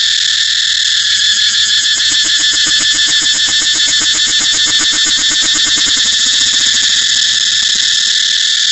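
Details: Continuous high-pitched cicada buzz with a rhythmic, rapidly pulsing lower undertone that swells in the middle and fades toward the end.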